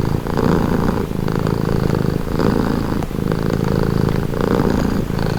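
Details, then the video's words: Cat purring close up, a throaty vibrating hum that pulses in regular breath cycles of roughly one second, low and continuous without other noises. "Purring cat"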